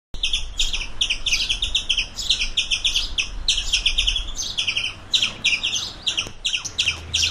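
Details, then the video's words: Squirrel giving rapid bursts of sharp, high chirping notes in clustered runs, with brief pauses near the five- and six-second marks; a low background rumble sits underneath. "Squirrel videos for dogs(squirrel sounds)"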